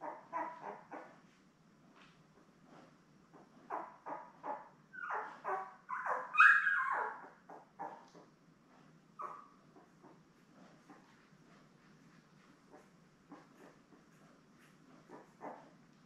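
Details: Seven newborn Labrador Retriever puppies born May 24, 2021, with mother Belle on a live puppy cam: a steady patter of faint short squeaks and soft whimpers, swelling briefly into a louder squeal cluster midway, then fading back to quiet chirps.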